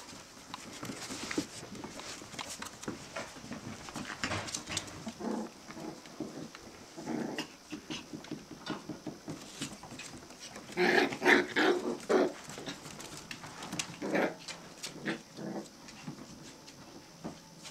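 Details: Five-week-old Australian terrier puppies making short yips and squeaky calls in loose clusters over quieter scuffling and background noise, the loudest flurry coming toward the end.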